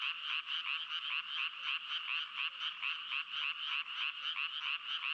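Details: Fast, choppy frog croaks tumble out several times a second in an irregular rhythm, each a short grating buzz, forming a lively rasping stream with no other sounds.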